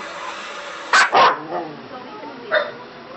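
A dog gives two quick, harsh barks close together, then one softer bark a beat later.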